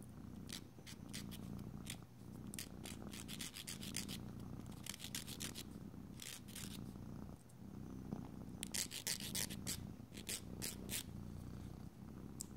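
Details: Pet cat purring as its nails are being filed indoors; low, pulsing purr rising and falling with each breath, overlaid by frequent rapid scratchy strokes of a nail file throughout.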